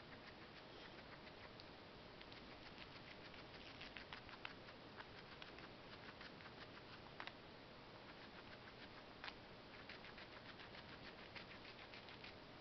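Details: Guinea pig, a female, munching parsley: quick crisp bite clicks in bursts, with a few louder snaps near the fourth, seventh and ninth seconds over a quiet indoor hush.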